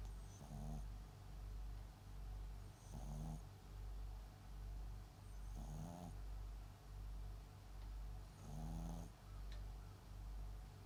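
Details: MAX, a sleeping Papillon × Japanese Chin mix dog, snoring indoors. Four nasal, rasping snores come roughly every three seconds over a steady low rumbling breath.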